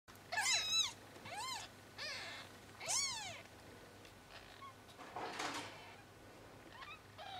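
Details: Four-day-old Bengal kittens mewing indoors: high, thin arched cries with bright harmonics, four clear calls in the first three seconds, then fainter squeaks and a rustling burst near the end.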